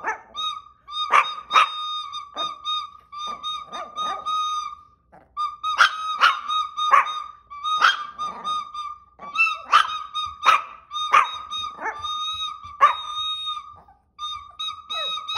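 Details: Chihuahua singing passionately: bursts of sharp, high yips and short barks in uneven runs, broken by brief pauses, over a steady sustained high tone that holds throughout.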